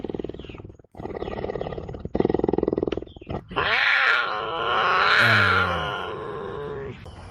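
Cougar giving a rapid, pulsing, rasping growl, then a long drawn-out wavering wail; a man's voice exclaims briefly over it.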